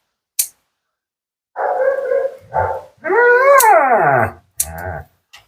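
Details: Female Siberian Husky, talkative and dramatic, vocalizing during her second-ever bath and grooming session: drawn-out wavering howl-like moans with rising and falling tones, broken by short yips, with a groomer's brief praise nearby.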